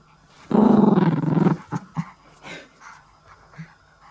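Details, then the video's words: Pet Chihuahua growling while playing tug-of-war on a string from its favourite worn-out stuffed toy, asking to be played with: one rough, continuous low growl about a second long, then several short, softer grunts. "遊んでくれと言いながら 唸るチワワがおもしろい！"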